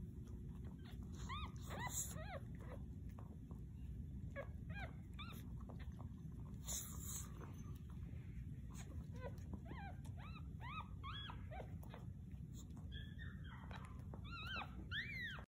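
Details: Chihuahua puppies whimpering, a scatter of thin, high arched squeaks coming singly and in short clusters throughout, over steady low rumbling background noise.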